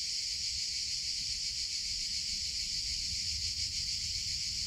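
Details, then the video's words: Continuous high-pitched buzzing of summer cicadas, a uniform sizzling drone with slight wavering in intensity and faint low rumble underneath. "CICADA SOUNDS - Sound Effect of Cicadas in Summer Sounds of Cicada (Chicharra, Campanero)"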